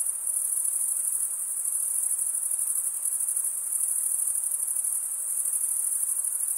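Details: Unbroken, piercing cricket trill, produced by males running one wing's edge over the serrated vein of the other; the rapid pulses blur into a constant bright shimmer with no other noises.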